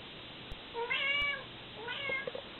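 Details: Mother cat with her kittens indoors, licking and hugging them while they try to get away; two clear, rich meows about a second apart, the first long and arching, the second shorter and fading into soft clicks.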